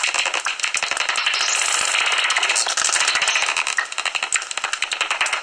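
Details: Common noctules chattering inside their tree-hollow roost near Ibbenbüren before sunrise on 17 August 2019; sharp repeated clicks, about three or four per second, blend into a shrill, rattling squeaky din.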